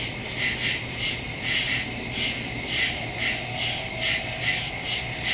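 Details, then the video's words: Crickets chirping in the woods at night, recorded on September 2 with a phone and stereo microphone: a dense high-pitched chorus pulsing in soft regular beats, with a steady low hum underneath. "Crickets in the woods at night"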